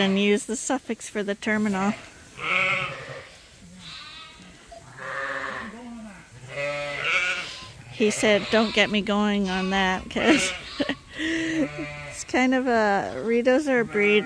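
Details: Bottle-fed lambs on a farm, fed twice a day from a hand-made feeder, bleat in shaky, wobbling cries mixed with human speech and overlapping voices.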